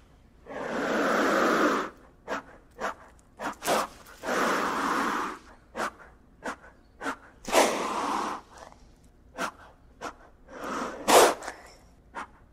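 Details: Gila monster hissing: long, breathy exhalations of one to two seconds, broken by shorter puffs and faint clicks. The pattern is irregular.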